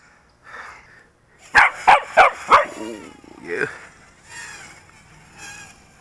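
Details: Domestic dog, usually shy of quadcopters, barking bravely at a toy drone in flight. Four sharp barks in quick, even succession, followed by a person talking.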